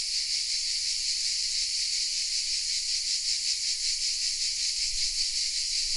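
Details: Hidden among oak trees in a small southern French village, Vézénobres, a mass of cicadas keeps up a piercing, steady buzzing, its texture pulsing rapidly throughout, nothing else standing out.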